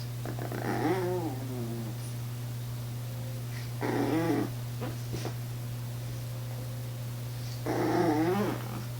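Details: A female Chihuahua, hesitant and afraid to jump down from a chair to reach her toy on the floor, gives three wavering, whiny grumbles about four seconds apart over a steady low indoor hum.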